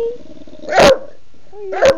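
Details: Indoors, a pet female bulldog barks for her dinner while her owner asks if she is hungry. Two loud, abrupt barks about a second apart, with soft whining tones in between.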